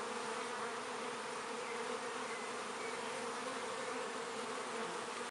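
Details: Honey bees at a hive entrance in a north London apiary on a midsummer day, very active bringing in pollen and nectar; a dense, steady, even buzz of many bees throughout with no breaks.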